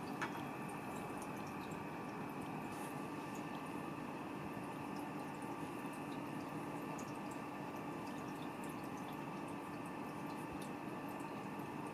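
Steady running water and a low mechanical hum fill the room, with no animal voice heard.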